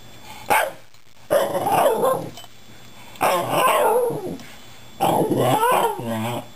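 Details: Shiba Inu 'talking' to two cats rescued two months earlier: three drawn-out, wavering, yodel-like moans, each over a second long and pitch-bending, spaced about two seconds apart, after one brief yip.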